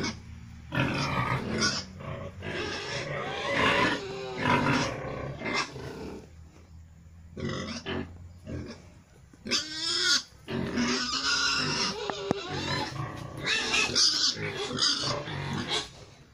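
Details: Future breeding sow, a young F2 gilt from Pietrain crossed onto a Landrace x Large White female; repeated harsh squeals and grunting bursts, some with rising and falling tones, separated by short pauses.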